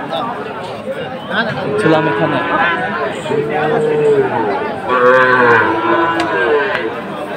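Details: Cattle market in Chattogram, Bangladesh, 7 September 2024, where Sahiwal bulls are traded: low, droning moos rise and fall twice in quick succession while buyers and sellers haggle loudly nearby.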